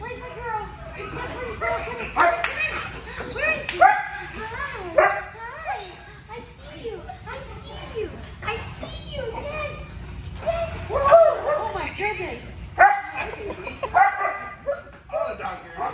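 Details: Excited German Shepherd and Belgian Malinois greeting their returning owner with a stream of high, wavering whimpers, squeals and occasional barks, while several people talk and laugh.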